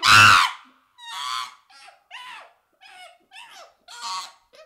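A baby chimpanzee gives a string of short, rasping squeaks after one loud opening burst.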